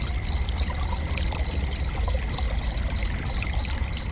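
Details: Cricket chirping steadily, each high chirp a quick burst of three or four pulses, repeated about three times a second throughout, over a loud continuous low rumble.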